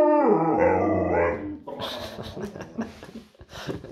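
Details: Giant Alaskan Malamute puppy talking: a sustained, harmonic moaning vocal for about one and a half seconds, gliding slightly in pitch, then fading into softer scattered noises and rustling.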